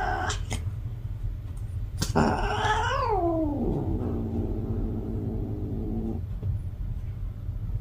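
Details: Yowling cat in heat: a long, harmonic-rich wail that climbs, peaks and then sinks into a sustained moaning tone lasting about four seconds before stopping abruptly, with sharp clicks before it and a low background hum.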